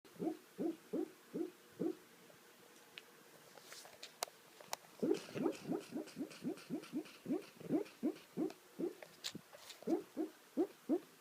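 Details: Cute dog making funny sounds while asleep: short, soft rising yips repeated about three times a second in two long runs, separated by a quiet pause with faint clicks, in a quiet room.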